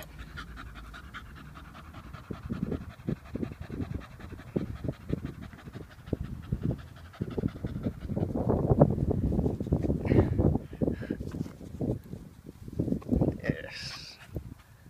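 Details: Vinnie, a muscular Staffordshire Bull Terrier, pants in steady rapid huffs, roughly three or four breaths a second, low and breathy, growing louder midway, with a man's voice giving commands around him.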